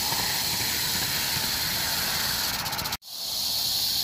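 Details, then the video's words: Sustained high, sizzling rattle from a rattlesnake, 1 July 2018, steady for three seconds, then a sudden brief break before the buzzing resumes. "Víbora de cascabel."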